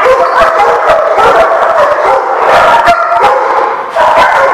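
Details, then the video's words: Several dogs barking together on 16 May 2016: loud, unbroken, overlapping barks and yelps with howl-like drawn-out notes mixed in, a brief dip just before the end, then barking resumes. "The Barking Lot"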